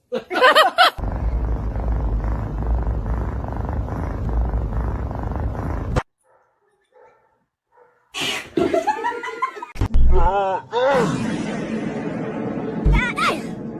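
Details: Domestic cat from a funny cat compilation giving several arched, wavering meows in quick succession after a stretch of steady low rumbling noise and a silent gap; background music and clattering around the calls.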